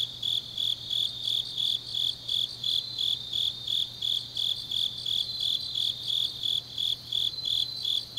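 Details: Grass insects calling on an autumn night in Changnyeong, Gyeongnam: bright, high-pitched pulsed trills recurring about three times each second, steady and overlapping, a soft low hum underneath.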